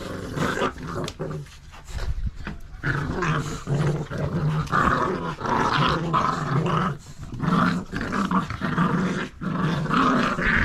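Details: At nine weeks, Staffordshire Bull Terrier pups wrestle over a tug toy with their mother. Steady, gravelly growls rise and fall in waves across the whole stretch, broken by brief gaps and scrabbling noises.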